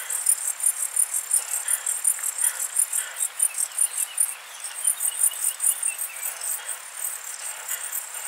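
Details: Short-tailed Plump Bush-cricket, Isophya brevicauda, singing in Muhrtal, Austria, 24 July 2022: a steady run of short, very high ticking pulses, roughly four per second, with a brief pause midway and soft lower chirps beneath.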